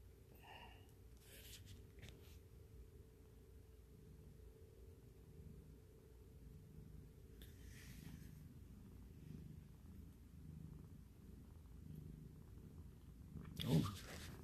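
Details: Domestic cat kittens and their mother, a shelter-rescued cat about two years old, purring indoors; a soft, steady low rumble pulses in slow breaths throughout, with faint rustling and a brief louder knock near the end.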